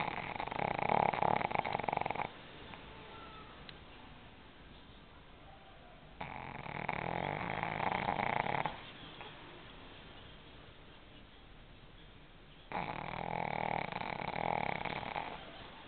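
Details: Sleeping pug snoring in three long, rasping breaths of about two to three seconds each, spaced roughly five seconds apart with quiet pauses between.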